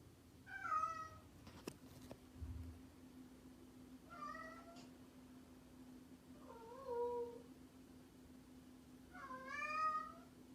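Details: A playful, mischievous domestic cat gives four separate meows spaced a few seconds apart, short wavering tonal calls, over a steady low electrical hum with a couple of sharp knocks early on.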